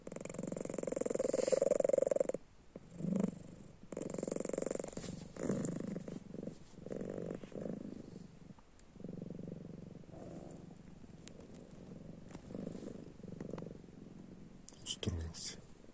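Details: Pet cat named Panda snoring while asleep with its eyes open: a low, rough rumbling breath sound rising and falling irregularly, with a steady faint hiss above and a few soft bumps near the end.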